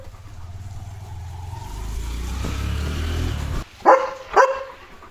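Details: Leo, a German Shepherd on morning guard duty in a village, barking at cattle, vehicles and dogs: a low vehicle rumble gives way to two sharp, harmonic barks about half a second apart, with rain-time quiet afterward.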